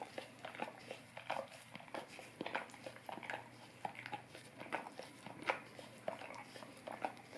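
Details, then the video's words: A Golden Retriever licks a tongue-cleaning brush indoors in a small room. The sound is a steady run of soft, wet clicks and smacks, irregular and close up, with no vocal sounds. "Golden Retriever Licking Orapup Tongue Cleaning Brush"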